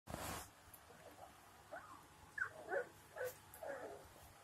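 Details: Three-week-old Labrador Retriever puppies playing after a short nap, giving soft, brief whimpers and squeaky yelps scattered through the second half, with a loud thump at the start.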